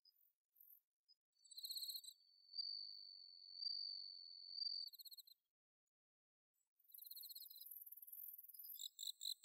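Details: Bell cricket singing on an autumn night in paddy fields at Inba-numa, Chiba, Japan, recorded with a Zoom H6: high ringing pulsed trills in short bursts, overlapped by a long steady whine from another insect, then a dense chorus.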